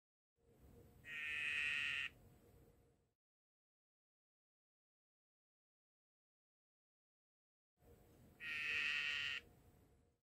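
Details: Cobalt dyeing dart frog male calling to mate while the female taps his back; two sustained buzzing trills around a second long, separated by about six seconds of quiet.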